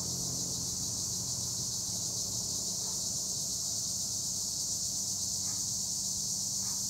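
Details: Many tree crickets (Acheta assimilis) calling from olive trees near Edremit, Turkey, forming a dense, steady high-pitched buzzing blanket, with a few soft brief thuds faintly underneath.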